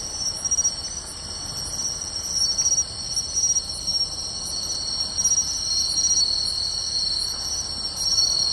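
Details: Summer-night insect chorus of pine crickets, bell crickets and others in grassland by the beach, Tainai, Japan, 24 August 2020; continuous shrill overlapping trills, high and even, with evenly spaced bright ticks riding on top.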